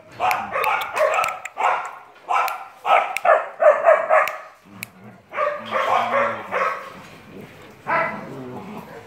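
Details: A three-month-old German Shepherd puppy gives quick bursts of high, yappy barks, several in rapid succession.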